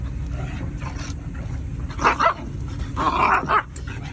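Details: Rhodesian Ridgeback siblings, male Mango and female Pixbae, wrestling roughly at Porta Norte; two short bursts of yelping barks near two and three seconds over a steady low background hum.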